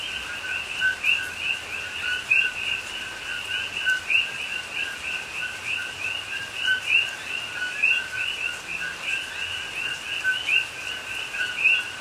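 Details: Many coqui frogs calling together during night rain in a Hawaii rainforest, Pahoa, October 2021; repeated two-note calls, low then high and rising, blend into a continuous chorus, with a few louder chirps above steady rain noise.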